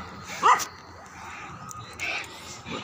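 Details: A pet dog named Julie, out on a walk, gives one short, sharp bark, followed by quieter rustling and a man calling her back.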